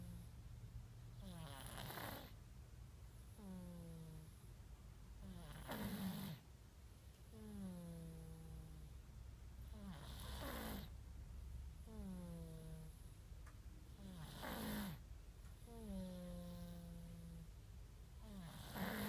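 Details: Sleeping domestic cat snoring indoors, recorded on an iPhone 5s: each breath gives a nasal, whistly tone sliding downward, then a breathy rasping exhale, repeating about every four seconds with steady low room hum beneath.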